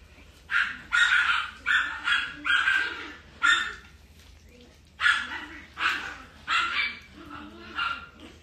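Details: Female Shiba Inu puppy, described as a calm girl, giving a series of short high yips and whiny barks in irregular bursts, with a steady low hum underneath.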